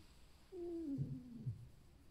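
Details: Alf, a pet fox lying indoors after a lively, boisterous night, creaks contentedly rather than from feeling unwell; a drawn-out tonal whine slides downward, then breaks into several low, rough grunting pulses, with quiet room background.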